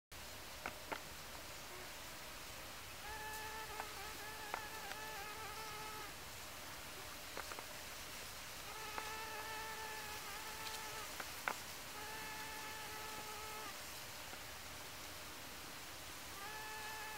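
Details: A female Anthophora bimaculata bee gathers pollen on flowering Dittrichia viscosa in early autumn 2017 at Tancat de l'Illa, Sueca. Steady, high, humming buzzes last about two to three seconds each, repeating with brief gaps over a hissy background.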